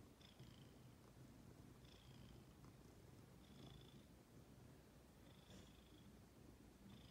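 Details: Female pet cat Ginger purring quietly; a continuous low rumble with soft high whistly breaths recurring at uneven intervals of one to two seconds.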